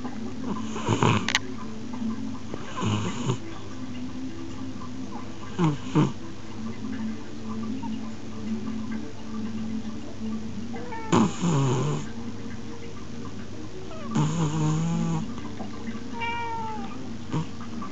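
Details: An 11-year-old cat snoring in its sleep, filmed on an Xperia smartphone: breathy, rasping snore bursts recur at uneven intervals of a few seconds over a steady low hum, with a short tonal squeak near the end.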